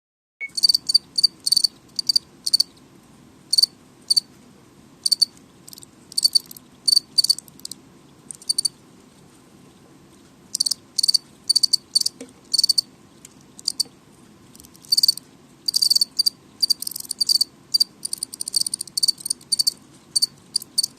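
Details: House crickets chirping loudly, high pulsed bursts repeated in irregular runs of several chirps, with a quiet pause near the middle before chirping resumes and grows denser, over a faint low indoor hum.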